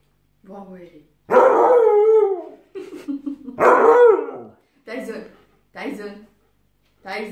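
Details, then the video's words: A very aggressive Siberian Husky, as described, produces long, loud, howl-like whining cries that fall in pitch, followed by shorter yelps, with brief Italian speech in the background. "siberian husky very agressiv"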